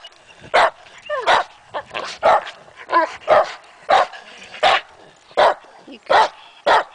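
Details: Dogs Matea and Morley barking at a trail tree they are obsessed with, chipmunks suspected inside; loud barks roughly every half second to second, mixed with whiny yelps.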